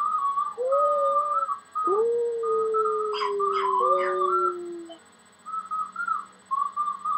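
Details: Puppy wearing army gear joins a flute tune with a short whine, then a long, clear howl slowly falling in pitch, as the flute plays steady high notes around it.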